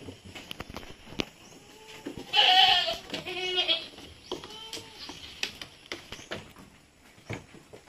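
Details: Goat kids being weaned at Terra Grande Farms, San Carlos City, Negros Occidental, Philippines: a loud, quavering bleat mid-clip followed by two softer, wavering bleats, with scattered clicks and faint rural background noise.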